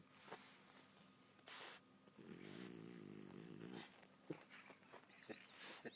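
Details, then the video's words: Nacho, a sleeping pet dog, snoring indoors: one drawn-out, low, fluttering rasp in the middle, framed by brief soft thumps and rustles and a short high squeak near the end. "Snoring Nacho"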